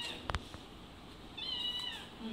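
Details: Domestic cat in a home kitchen, one of many cats that gather whenever someone comes in; a single high harmonic meow, slightly falling, with clicks and knocks before it.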